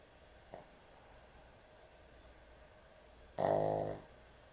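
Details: Sleeping dog with excessive snoring: a faint short breath early on, then one loud, buzzing, rattling snore lasting over half a second near the end.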